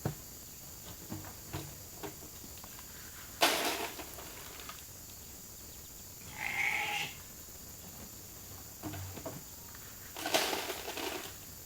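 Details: Sheep of a hungry flock gathering at the holding pen for their evening grain, one clear harmonic bleat midway among sharp knocks and clatters of the animals moving.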